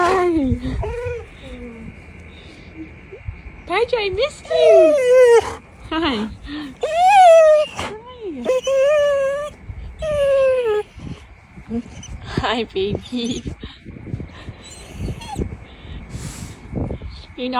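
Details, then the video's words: Pet dog greeting its returning owner indoors, excited enough to knock the owner over; rising and falling whining, howl-like yodels repeated in bursts, tonal and harmonic, with the owner's affectionate voice talking over and between the calls. "this is how my dog greeted me"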